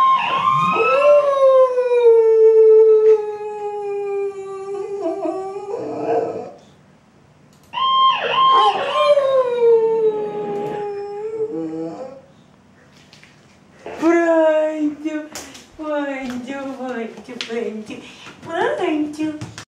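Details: Female Boxer dog reacting to ambulance sirens with repeated howls: long, sustained, slightly falling tones broken by brief silences, and later shorter, bending, whining howls in quick succession.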